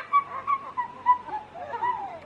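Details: An adult female pileated gibbon at Novosibirsk Zoo, 7 August 2023, sings pure hoot-like notes swooping up and down about twice a second, then wavering and bubbly, after getting bananas. Her male mate sings along. Faint human voices. Pileated gibbon.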